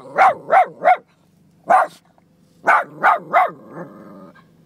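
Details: Boston Terrier barking at goats: three quick sharp barks, a single bark, then three more, ending in a softer whine-like trailing sound.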